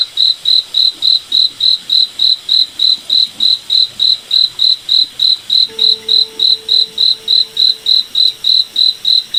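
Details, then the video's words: Cricket chirping at night in a moonlit forest: a steady, high-pitched pulse repeating about three and a half times per second, roughly thirty-two chirps, with a faint low tonal hum joining in the later seconds. "Cricket Night Forest Ambience"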